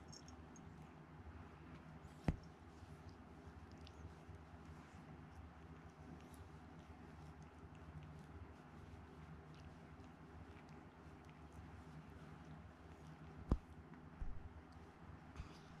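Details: Indoor recording of Chikuwa, a rescued pet cat, purring steadily: a deep, rapidly pulsing drone throughout, broken by two sharp taps and a brief cluster of small knocks near the end.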